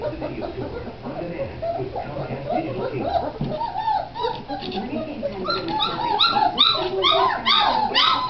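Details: Great Dane puppies, dated 01-27-09, with soft murmured whines at first building into a busy overlapping run of high arched yelps and whimpers toward the end.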